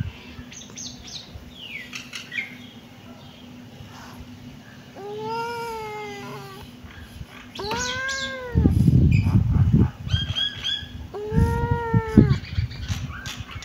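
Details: Kitten meowing: three drawn-out, arched meows, each rising then falling, spaced a few seconds apart, with softer high chirping sounds earlier and low thumping and rustling noises in the background.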